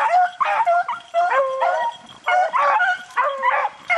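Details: Beagles baying while rabbit hunting in the rain: a pack of loud, overlapping yelping bays that bend up and down in pitch, coming in about six ragged bursts with short gaps between.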